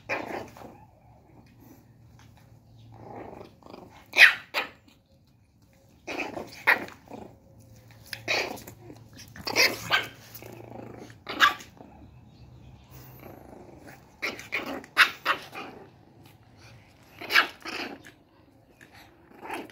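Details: An angry one-month-old female Shih Tzu puppy gives high, sharp yaps and squeaky little growls in irregular bursts.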